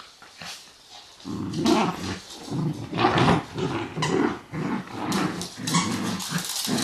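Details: Dachshunds Honey and MJ in a playful 'revenge' scene, one dog giving a rumbling, low growl in uneven bursts after a quiet second, with a person talking about a ball.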